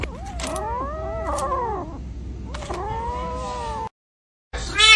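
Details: Domestic cat giving two drawn-out, wavering meows, each rising and then falling with rich overtones and separated by a short pause. A brief silence follows, then a noisy burst at the end.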